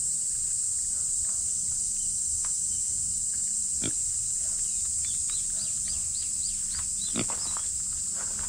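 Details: Steady, shrill, high-pitched cicada drone runs throughout, described as noisy. A female micro pig gives a couple of short grunts, and a run of quick, high, repeated chirps appears near the end.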